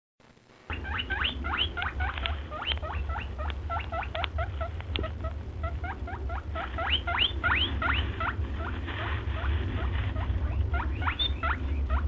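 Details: Guinea pig trying to open a door gives a long run of rapid, high rising squeaks, several per second, in uneven bursts over a steady low hum.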